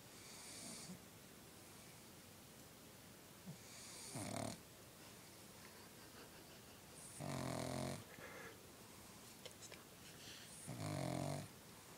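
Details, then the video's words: A pug sleeping through one of its many daily naps, snoring in a slow rhythm: four loud rasping breaths roughly every three seconds, each a broad, noisy snort with quieter breathing between. "Sleeping, Snoring, Pug"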